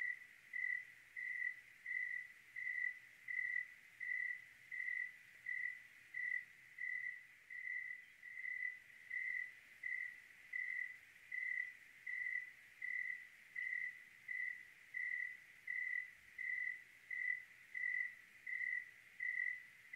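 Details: Steady cricket chirping through a clear Oregon night: around 29 short, identical chirps over twenty seconds, keeping an even rhythm of about 83 per minute with little else audible.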